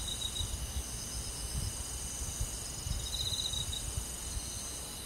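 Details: Crickets and other insects in a countryside forest on a summer night: faint, steady, high-pitched trilling in several continuous bands, with a soft low rumble beneath and no other voices.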